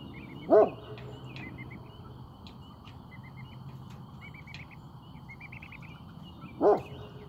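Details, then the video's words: Great Pyrenees keeping watch: two isolated deep barks about six seconds apart, separated by quiet filled with soft bird chirps and a steady low hum. "Great Pyrenees on watch"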